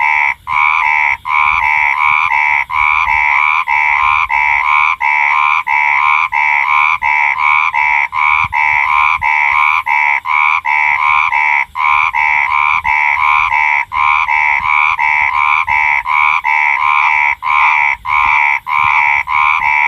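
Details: Nighttime chorus of four frogs, fast nasal croaks tumbling almost without pause, overlapping rhythmic calls rising and falling in a dense, lively stream.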